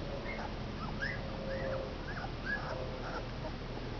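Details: Two-week-old Komondor puppies, a litter of five males, give short arched whimpering squeals rising and falling, several in quick succession over a few seconds, against a steady low background hum.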